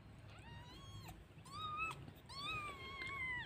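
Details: Pet village cat, a mother that has just given birth, meowing three times. The cries are long, drawn-out and harmonic, each lasting close to a second and bending slightly at the end, over a low steady background hum.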